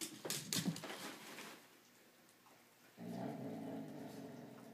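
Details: Pet dogs playing with each other and trading strange noises; a few sharp knocks and yips at the start, a quiet pause, then a steady low throaty growl held for the last two seconds.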